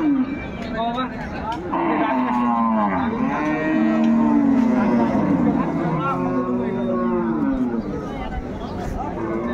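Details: Improved-breed dairy cows and calves at Ambari market, a livestock haat near Dhaka, Bangladesh, recorded 21 May 2024. Several arching moos rise and fall over about five seconds, with bargaining voices and market bustle behind.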